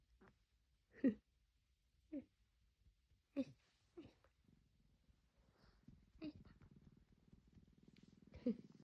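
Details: Cat named Jjinju making a strange sound, as if annoyed at the noise while its owner sneezes: short, sharp broken chirps and grunts in separate bursts, followed by a low, steady purr-like rumble toward the end.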